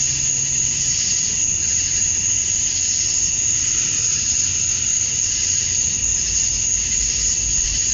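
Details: Georgia, USA, summer dusk: a chorus of male cicadas chirping for mates, heard as an even, high, sizzling drone with a ringing upper tone, no pauses, and a faint low hum underneath.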